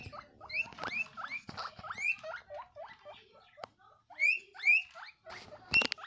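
A guinea pig gives loud, shrill wheeks, rising whistles repeated in quick bursts out of excitement.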